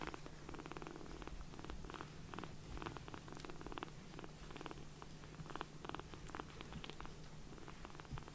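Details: Tiny rescued foster kitten, bottle-fed and belly full of milk, purring contentedly while resting on a palm indoors: a steady, rhythmic, pulsing low rumble that carries unbroken through the whole stretch, with faint soft rustles alongside.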